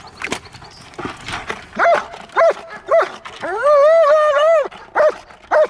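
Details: German Shepherd in a guarding exercise giving a few sharp barks, then a long drawn-out whining howl of over a second, followed by two more short barks; a handler's voice is faint at the start.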